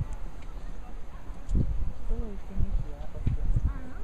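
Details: Barbary macaques give short, arched, tonal calls over low thumps and background rumble.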